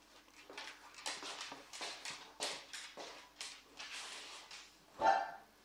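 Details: Pet dog vocalising along to an accordion: a run of short, breathy yelping bursts roughly twice a second, ending in one louder, higher cry, with a faint steady accordion tone underneath.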